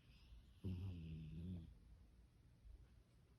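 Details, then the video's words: Sleeping pet dog dreaming that its younger sibling takes its treat, giving one low, rumbling snore-like grumble lasting about a second, then quiet breathing. "동생한테 간식 뺏기는 꿈꾸는 강아지 잠꼬대 소리 (+코골이)"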